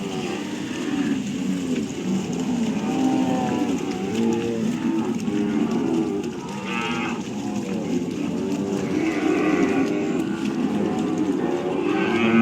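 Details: Cattle on a farm mooing repeatedly, several overlapping low drawn-out calls through the whole stretch, harmonic lows with occasional higher strained cries, suggesting a number of animals calling together.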